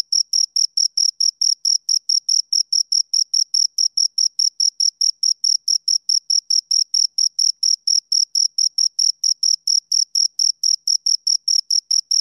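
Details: Pair of crickets producing rapid, regular chirps, a continuous train of short shrill pulses at an even rhythm, no other sounds present.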